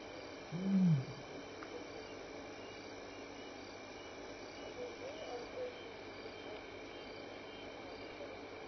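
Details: Lion contact calling in the evening at Elephant Plains Game Lodge, South Africa, May 2011: one short deep grunting roar early, then quiet with a constant hum of night insects.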